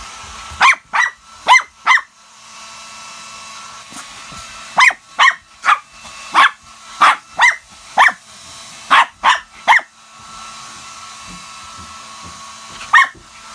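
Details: Shih Tzu barking at a hair dryer, short clipped barks in quick clusters separated by pauses of a second or two, with a constant faint mechanical hum of the dryer underneath.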